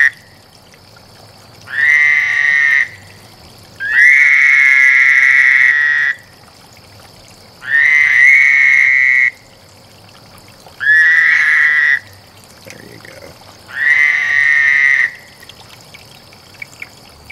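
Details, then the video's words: Frogs in a mating gathering: five separate high, buzzing trills, each lasting one to two seconds, spaced a few seconds apart over a quiet background. "Frog Lovefest"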